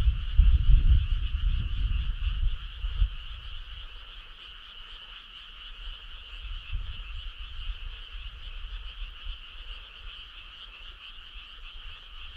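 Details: Summer-night frog chorus on a country road, heard as an unbroken shimmering trill at two pitches; strong low rumble dominates the first three seconds, then eases, leaving the chorus steadier over a softer background.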